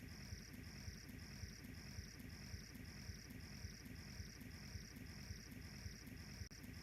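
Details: Insects of the savanna grassland in Kenya, Africa, heard by a crackling wood fire. Bright, high, evenly spaced chirps come about twice a second, with soft fire snaps and a low rumble beneath.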